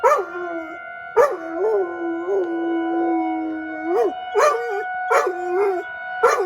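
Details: Pet dog outdoors during a weekly tornado siren drill in Rochester, Minnesota, howling along with the siren: wavering mid-pitched howls that begin with sharp yelping onsets, repeated several times over steady high siren tones.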